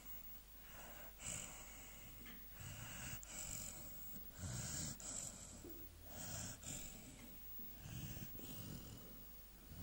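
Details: Sleeping three-month-old AmStaff puppy named Dager snoring steadily: a run of rough, wheezy breaths repeating roughly every one to two seconds, each a hissing rasp with a low rumble beneath, in a quiet room.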